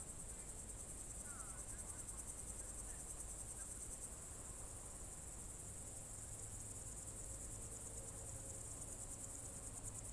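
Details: Crickets on a June 2023 evening in the Novye Buregi tract, Novgorod Oblast: a steady, very high, shimmering trill runs unbroken for the whole stretch over a low background rumble, with a few faint brief bird notes near the start.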